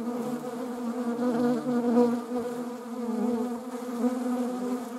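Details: Even, low-pitched drone of a honeybee in flight, rich in stacked overtones, with gentle rises and falls in loudness; wasps share the scene.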